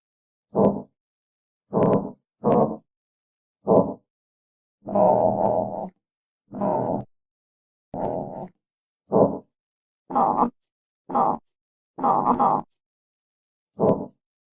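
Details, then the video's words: Armadillo grunting in a long series of about fourteen short, rasping bursts at irregular intervals, some clipped and quick, others drawn out into longer breathy groans, with silence between each. "Real Armadillo Sounds"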